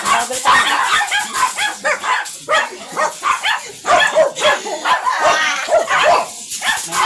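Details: Stud service at a Manaoag, Pangasinan kennel house with a dark chocolate-liver Shih Tzu; sharp barks and yips come in quick bursts with short gaps, some human speech mixed in.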